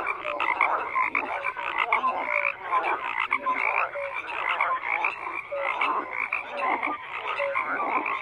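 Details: Many frogs croaking together, a thick mid-pitched rasping chorus with occasional clear short notes rising above it, steady and unbroken.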